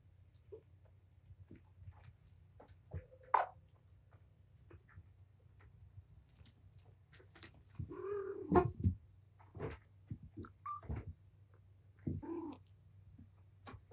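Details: Domestic cat mother, Patience, romping indoors with her litter of five kittens, four boys and one girl, in a small room; one drawn-out arched meow midway, with a few short mews amid thumps, scuffles and scratching of play.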